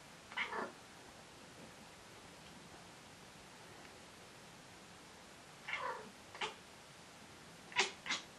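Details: Pet cat making odd calls while hunting indoors: one clipped, meow-like squawk, a long silence, then a loose cluster of short, sharp, high chirps toward the end, each call brief and punchy against a quiet room.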